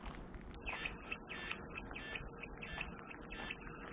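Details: Cicada drone beginning abruptly after half a second of quiet, then a steady, piercing high-pitched whine held without a break, with softer chirpy bursts recurring lower down about twice a second.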